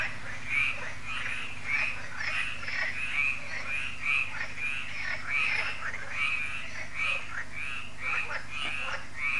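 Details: Frog chorus on an evening at Lac de Sabatte, France, a yearly event at the lake; grating croaks follow one another steadily, about two per second, several frogs overlapping above a low hum.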